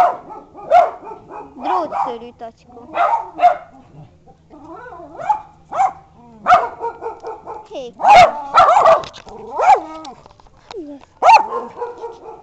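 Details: Barks from bichons and a wire-haired dachshund, with single and paired yaps scattered through the recording, alternating with human speech and a faint constant hum.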